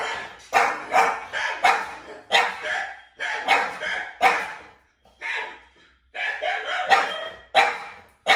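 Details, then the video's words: French Bulldogs, two dogs indoors reacting to strange played sounds, give a volley of loud, harsh barks, about one every half second, with a short pause midway before the barking resumes. "2 French Bulldogs React To Strange Sounds / Try Not To Howl"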